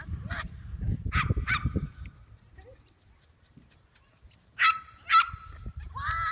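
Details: Papillon dog at disc frisbee practice on July 11: two short, sharp yapping barks, a quiet pause, then three more high barks near the end, with low rumbling background noise throughout.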